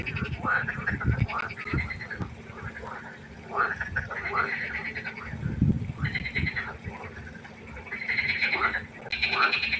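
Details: Frog chorus at night by a pond: overlapping harmonic croaks and trills in the mid range, several callers at once, with low thumping knocks and a steady faint hum underneath.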